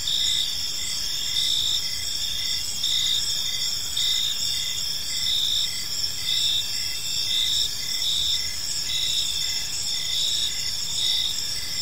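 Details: Several crickets sing together in a park as evening falls, their high ringing trill continuous, with rhythmic chirps pulsing roughly once a second throughout.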